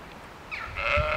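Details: Sheep met on a walk in Ballinrobe, a single harmonic bleat rising in over half a second and holding steady, cut off at the end, over a soft background hiss.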